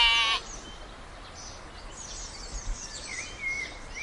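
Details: A sheep gives one short, harmonic, fairly high bleat lasting under half a second at the very start, then quiet outdoor background with faint high chirps and light rustling.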